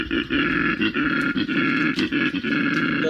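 A male koala bellows a deep, rasping, snore-like mating call in rapid rhythmic pulses.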